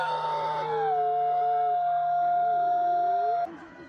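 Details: Himalayan wolf, a high-altitude grey wolf subspecies of the Himalayan region: one long level howl held for over three seconds, a second lower voice wavering beneath it, ending abruptly.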